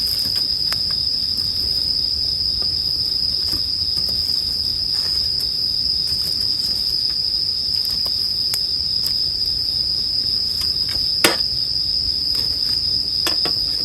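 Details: Continuous high, ringing trill of bell crickets layered over a crackling bonfire; scattered snaps and pops of burning wood punctuate the even insect tone, one louder crack near the eleventh second.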